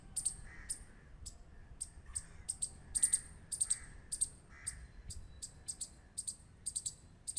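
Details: Rapid squirrel clicks, thin and sharp, sometimes paired or tripled, coming in an irregular but steady series against quiet low rumble.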